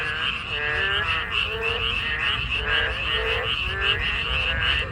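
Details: A remembered chorus of narrow-mouthed toads and frogs heard on a walk: a dense, steady mass of pulsed croaking, with lower nasal notes repeating roughly every half second and no other clear sounds.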